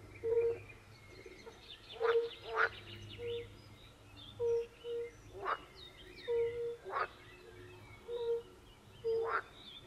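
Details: European fire-bellied toads in a forest pond chorus. Soft, low notes are repeated steadily, often in pairs, interrupted by several sharp, crackling calls from pool frogs.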